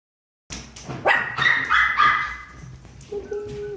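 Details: Miniature pinscher giving a run of sharp barks and yips, tonal and fairly high, several in quick succession over about three seconds, then a thinner steady whine near the end; indoor setting with little other noise.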